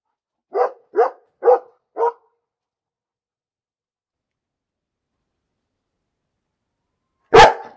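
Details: Four softer, evenly spaced dog barks, followed by a long silence and then one sudden, much louder, harsher burst near the end.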